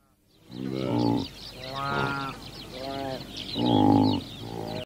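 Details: Bongo (Tragelaphus eurycerus), a forest-dwelling antelope of sub-Saharan Africa, giving four drawn-out, nasal, harmonic bleats of under a second each, spaced about a second apart, over a steady background hiss.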